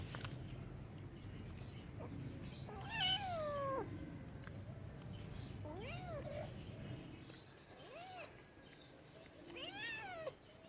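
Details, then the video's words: A cat meows several times: first a loud, drawn-out, wavering cry, then shorter arched mews spaced a couple of seconds apart, over low rumbling background noise that fades midway. "Cute talking cats, Funny cats sounds for lonely cats"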